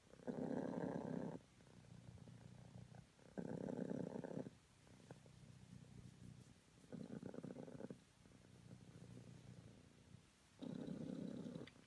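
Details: Morning purring from Honey, a cream British Longhair cat: strong rough purr phrases lasting about a second, separated by quieter steady low rumbles, in a regular cycle of around three to four seconds.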